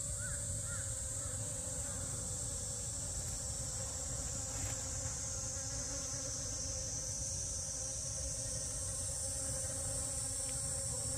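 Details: Steady low drone of honey bees working allium drumstick flowers in a garden, holding evenly throughout, under a continuous high-pitched insect hiss.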